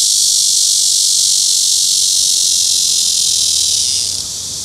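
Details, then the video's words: Cryptotympana cicada (Crytotympana pustulata / Cryptotympana atrata), recorded on a Sony PJ820 with ECM-XYST1M mic: a strong sustained buzzing whine that abruptly weakens and drops in pitch near the end, then continues more softly. "Sound of Crytotympana pustulata / Cryptotympana atrata (紅脈熊蟬的叫聲)"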